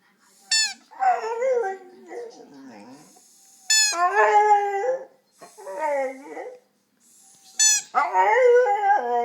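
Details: Domestic dog making odd vocal noises: three bursts, each opening with a sharp high yelp and sliding into wavering, harmonic howl-like moans that bend up and down, separated by short quiet gaps.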